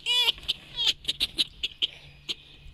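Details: Pet red fox Vasilisa happily welcoming her breakfast in the morning: two brief, high, wavering whines, followed by a string of sharp clicking or ticking pulses spaced irregularly about every quarter second, with a faint steady hum beneath.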